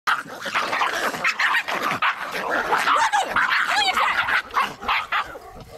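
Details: Two Bull Terrier puppies, 1.5 months old, play-fighting: rapid, overlapping high yips and short growly barks come several times a second in a busy, rough stream over a steady noisy background.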